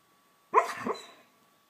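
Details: Georgie, a pet pup, vocalizing while dreaming: a single short muffled yelp that trails into a soft, fading whine lasting under a second, in an otherwise quiet indoor room.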